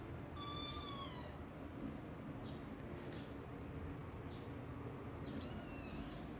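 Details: Mother cat walking away from her hidden kittens to protect herself; a high, drawn-out meow near the start, then a shorter falling meow near the end, over a steady low background rumble and faint scattered clicks.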